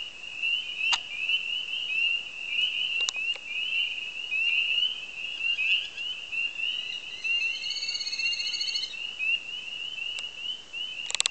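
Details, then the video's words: A dense chorus of spring peepers at a marsh on the edge of Lake Lily, Copper Harbor, with high piping peeps overlapping into a continuous shrill ringing. "Spring Peepers.AVI"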